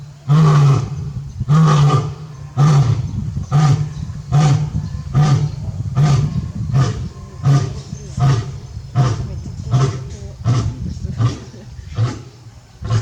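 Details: Male lion roaring at Tobe Zoo, Japan, on 5 October 2021, calling out for his missing partner; a long run of short, deep grunting roars, first spaced about a second apart, then quicker and slightly softer.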